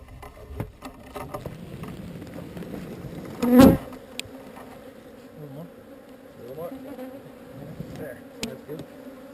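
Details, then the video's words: Honey bee swarm being relocated from an undesired location: a steady droning hum with wavering tones as individual bees fly close past, broken by one sharp loud knock midway. "Relocating Bees"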